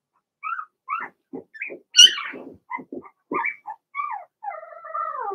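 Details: Cavalier King Charles Spaniel puppies, Blenheim colour, in an indoor pen while being potty trained; short squeaky yelps and whimpers with a louder squeal midway, ending in a long, drawn-out, falling whine.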